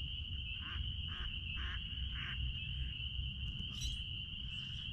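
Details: A massed chorus of spring peepers at the back of a blueberry farm gives a continuous shrill tone, while several short lower bursts pulse in the first half and a faint hiss comes near the end.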